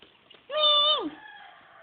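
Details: A kitty gives one clear, drawn-out meow lasting about half a second, steady and tonal before sliding down in pitch at the end, over faint room background.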